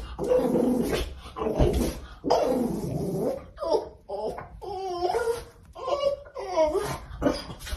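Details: A female French Bulldog, excited at seeing her brother on TV, yowls and grumbles in long, wavering, throaty bursts.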